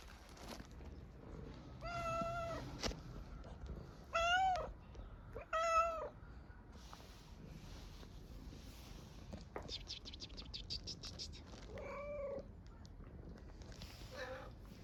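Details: Hungry stray street cat in Istanbul, Turkey, asking for food with a strange-sounding meow: several short arched meows in a loose series over fifteen seconds, with rustling and clicking noises between them.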